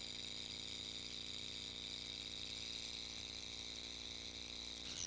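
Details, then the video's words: A diamondback rattlesnake rattles: a steady, dry, high hissing buzz that runs unbroken for several seconds, with a faint low hum underneath. "Then there's the ominous sound of a diamondback rattlesnake."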